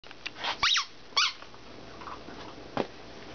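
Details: Coppertone, a rescue puppy, lets out two short high squeaks close together, the first sliding downward like a thin whine, then a fainter brief yelp near the end over quiet indoor room noise.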